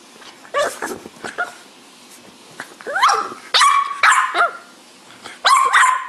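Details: Cranky French Bulldog giving short irregular yips and barks, some sliding up or down into whiny tones, in scattered bursts over six seconds with quiet gaps between.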